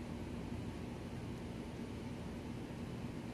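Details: Steady low rumbling hum like an engine or air conditioner, with no animal sound.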